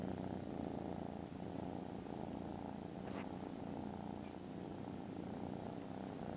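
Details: Foster kittens resting contentedly after lunch on Friday 18th December give a loud, steady purr, a deep buzzing rumble, with one brief tick near the middle and a few faint high squeaks.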